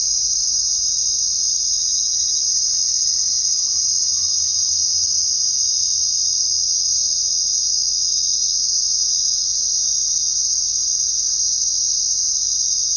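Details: Night-time crickets producing a continuous, steady, high-pitched ringing chorus that never pauses; a few faint, indistinct low sounds sit far beneath it.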